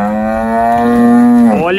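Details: Five-month-old half-Girolando heifer calf near weaning, at a farm in Anápolis, Goiás, Brazil, April 2023; a single sustained, steady low moo lasting nearly two seconds, with the pitch bending upward at the end.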